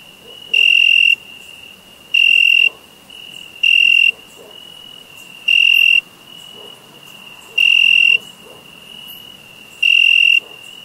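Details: Crickets chirping in summer, six bright high-pitched pulsed bursts spaced roughly one and a half to two seconds apart, while a continuous faint shrill trill carries on beneath them.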